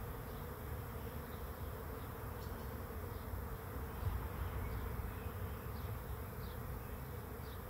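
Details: Bees swarming in to a swarm trap make a continuous, even buzzing drone, while faint, high chirps of distant birds sound now and then in the background.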